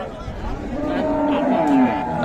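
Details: A short, steady lowing from market cattle at Raniganj haat, Dinajpur, where bulls and cows are traded for meat, set against voices of buyers and sellers.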